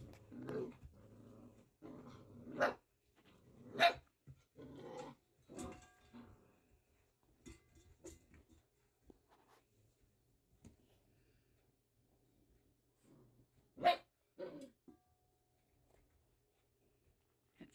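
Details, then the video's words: Willa's first litter of Doodle puppies at six weeks, Hulk and Ice among them, wrestle in play fights; short growls and barks come in bursts, with two sharp yelps near four and fourteen seconds, quieter scuffling between. "Willas Puppies at 6 weeks old play fghting"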